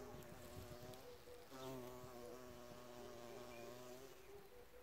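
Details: Bees flying at an insect hotel make a close, layered buzzing drone that shifts and wobbles in pitch, with a louder approach about one and a half seconds in.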